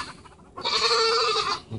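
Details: A single drawn-out, steady, nasal bleat lasting about a second comes from a young goat whose head is stuck in a feeder, preceded by quiet murmuring.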